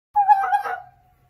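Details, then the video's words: Fox calling in the mating season: a single clear, tonal, slightly wavering call under a second long, steady in pitch with rich overtones, then fading into silence. "What does the fox Say? | Fox calls and Barking | Fox Sounds | Fox Mating sounds"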